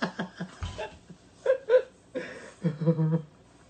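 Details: Quiet indoor chuckling and short bursts of speech from a person, with no animal sounds.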